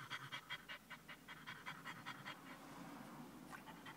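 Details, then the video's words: French Bulldog panting in a car after a short drive to a pet store, excited by people's attention; rapid breathy huffs about two to three per second, steady and rhythmic. "Hot Dog in car !"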